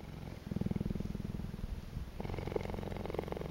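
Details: Cheetah purring at Naankuse, Namibia: a low, rapidly pulsing rumble, steady and continuous, shifting to a slightly higher, brighter tone after about two seconds.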